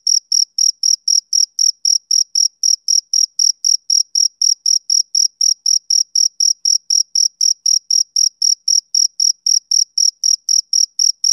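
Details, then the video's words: Summer-evening chirps from a male cricket: an unbroken, even train of short, piercing notes, close to four a second, over complete quiet. "Cricket Chirping Sound Effect"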